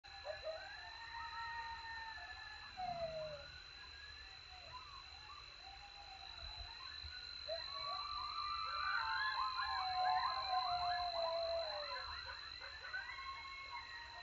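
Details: Coyotes in Texas howling after a successful hunt while eating: a chorus of wavering, sliding howls that swells into dense overlapping yips and quavering wails around the tenth second, over a steady high-pitched whine.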